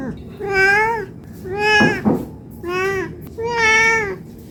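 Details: Hungry cat asking to be fed, four rising-and-falling meows in quick succession, with a brief clicking rustle between the second and third.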